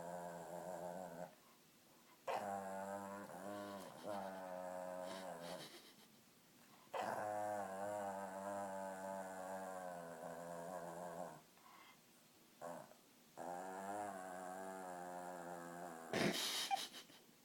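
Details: A dog making an unusual sound in the middle of barking: long, tonal, whining howl-like calls with wavering pitch, given in several bouts separated by short quiet gaps, with a brief noisy burst near the end.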